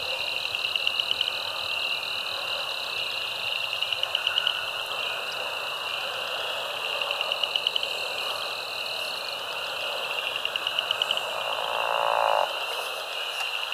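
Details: Frog chorus at Caddo Lake National Wildlife Refuge in eastern Texas, USA, recorded March 10, 2024 with a binaural microphone; spring peepers, Cajun chorus frogs, southern leopard and pickerel frogs form a dense high trilling band with repeated pulsed bursts.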